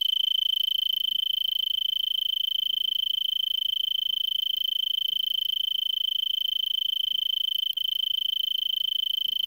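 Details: An Arizona tree cricket stridulates a steady, high, continuous trill from a brittlebush at about 5 PM on December 26, 2022, around 70°F, at 3300 ft in Vail, Arizona, before sunset.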